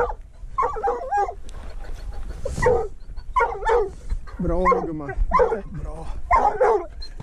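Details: Treeing walker coonhound barking on a mink hunt, working alongside a dachshund; loud, ringing barks come in short bursts about every half second to a second, with human voices mixed in the background.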